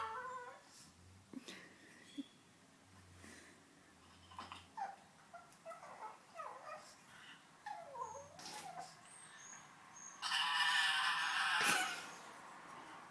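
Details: Pug named Cali, a female pet, making odd whining and grunting noises because she doesn't like being laughed at; short wavering whimpers and snorts, then a longer loud harsh burst near the end.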